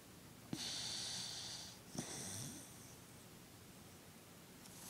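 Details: Sleeping male pet dog twitching as he dozes in a small room, giving two drawn-out hissing snore breaths about 1.4 seconds apart, each with a faint low rumble, followed by quiet.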